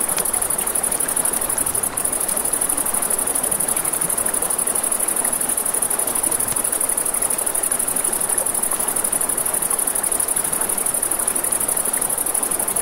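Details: Crickets at night by a river beside a campfire: a steady, high, shimmering trill holds unbroken through the recording, over a broad rushing wash of flowing water and crackling flames, with one sharp pop near two seconds.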